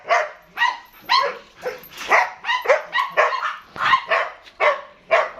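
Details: German Shepherd, eight months old, at a dog house in Dinajpur, Bangladesh, barking in a fast run of short, sharp barks about two per second while being petted as a visitor leaves; a person speaks nearby.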